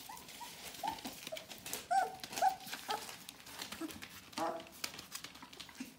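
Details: Bohemian Shepherd puppies, four weeks old, from an "F" litter: a few short, high squealing whimpers spaced out between clattering and faint voices in a small room.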